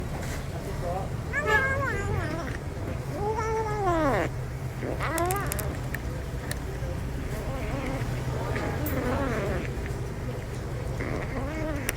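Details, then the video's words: Pet cat making noises while eating: a string of short, wavering, arched meow-like cries, each rising and falling within about half a second and coming in irregular bursts, over a constant low hum. "making noises while eating"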